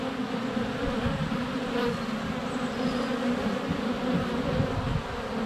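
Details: Close-up hive entrance din of honey bees in flight during sunny February weather, GoPro Hero 7 Black less than a foot away; an even, full-bodied buzz with wavering pitch and no break over five seconds.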